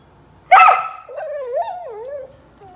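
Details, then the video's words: A crying dog gives one sharp yelp, then a long wavering whine that rises and falls several times before fading out. "Crying Dog"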